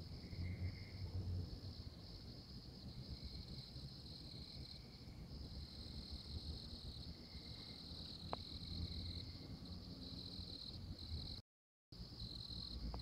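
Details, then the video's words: Oklahoma tree frog calling with repeated high trills of about a second each, set against constant insect buzzing, a low rumble and a sharp click partway through. "Tree Frog"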